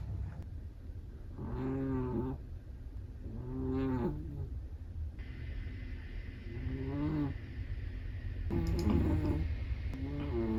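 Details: Sleeping Chihuahua snoring: tonal, moaning snores with stacked harmonics come in short bursts about every two to three seconds, over a steady low hum in the room.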